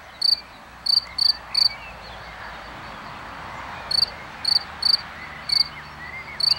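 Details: Singing cricket seen clearly, giving sparse, high ringing chirps in small clusters of three or four, with a pause of over two seconds in the middle and a soft background hiss.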